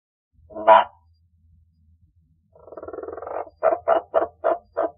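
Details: Two male giant waxy monkey frogs (Phyllomedusa bicolor) call: a single clucking note, then a rapid rattling run and a string of short croaks, like an evil laugh.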